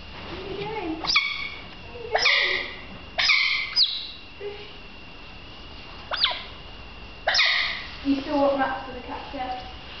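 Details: Juvenile smooth-coated otters playing near a pool give sharp, high squeaks and chirps, roughly one a second, from several animals.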